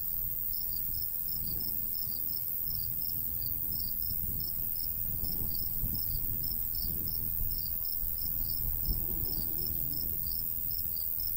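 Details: Summer countryside crickets by a golden wheat field chirp in quick, slightly uneven pulses, roughly three a second, with a soft breeze rushing low beneath them.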